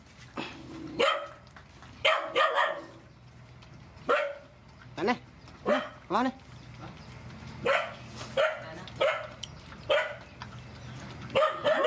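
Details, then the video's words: Feeding rescued mother dogs and puppies: irregular sharp barks, double barks and short rising yelps scattered across the clip over a low background hum. "Feeding mother dogs and puppies"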